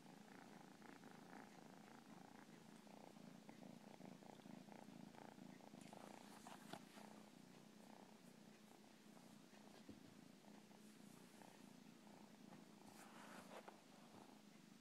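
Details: A cat keeps up a long, unbroken purr, a deep vibrating hum with rhythmic breath swells, interrupted now and then by short crackling rustles and soft clicks.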